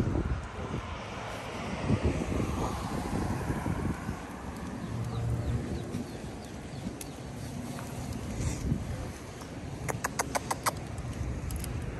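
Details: Outdoor wind and a rumbling engine or aircraft drone, with faint speech and a burst of rapid sharp clicks near the end, but no animal call.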